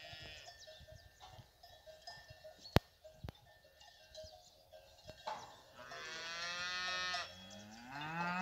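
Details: Fighting bull cows with their young on a fighting-bull ranch; clanking cowbells and a couple of sharp knocks, then a long, strong lowing call swelling over the final three seconds, falling in pitch at the end.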